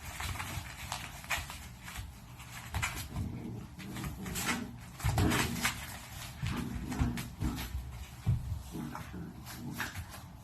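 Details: Pungsan dog puppies from a home-born litter play-fighting over food indoors: low rumbling growls come in uneven bursts, mixed with scuffling, scraping and thumping noises from the tussle.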